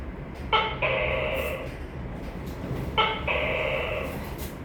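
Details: Two harsh calls from a tokay gecko about two and a half seconds apart, each opening with a quick clipped note and then stretching into a rough, nasal second syllable, with faint low hum behind.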